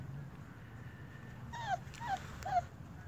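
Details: Four-week-old German Shepherd puppies, one the small runt of the litter: three short high whimpers with a falling tail, spaced about half a second apart, over low steady background hum.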